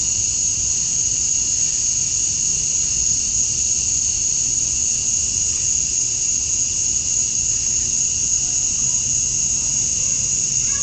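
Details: Male cicadas in a Georgia, USA summer dusk, their chirping meant to attract females: a sustained high-pitched buzzing drone over a fainter lower band, steady and unbroken for the whole stretch.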